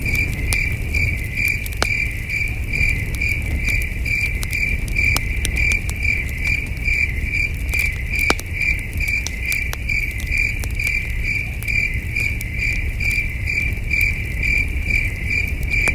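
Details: Distant crickets on a cool, breezy night at a peaceful camping site under the stars, giving a continuous run of high, evenly pulsed chirps, roughly two a second, while a campfire pops and crackles and a soft low rumble continues.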